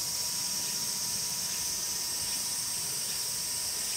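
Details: Song of the Tsukutsuku-boshi cicada, Meimuna opalifera: an unbroken, intense high shrilling buzz, steady in level, with a faint hum lower down.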